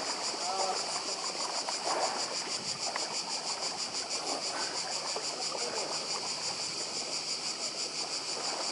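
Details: Seaside cicadas, Badija island, Croatia, keep up a constant high-pitched rattling drone with fast regular pulses, while gentle surf murmurs underneath for the whole stretch.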